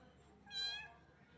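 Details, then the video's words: Single short, high meow from a small cat that was getting wet in the rain and trembling with cold, clear and tonal against a quiet hum. "Cat's cute voice meow meow."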